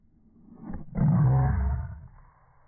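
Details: Indoors, Boston Terriers tussle over a ball. A brief low snarl gives way to one deep, roaring growl lasting about a second, rumbling and thick with low tones before fading out.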